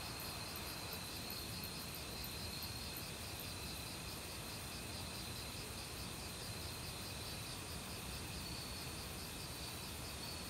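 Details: Forest insect chorus in autumn, crickets among various other insects, with sustained high-pitched trilling bands and soft rhythmic pulses, all set against continuous flowing stream water.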